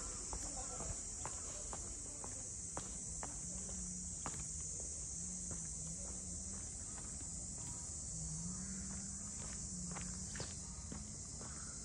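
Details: A constant high-pitched cicada hiss fills the air during a walk through Ine no Funaya, north of Kyoto. Footsteps and a low murmur of voices run underneath.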